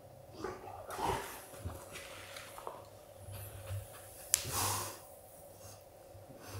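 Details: An adult male Golden Retriever tells his son that play has ended. Two sharp, airy snorts, one early and a stronger wheezy one later, stand out against a quiet background with a low electrical hum.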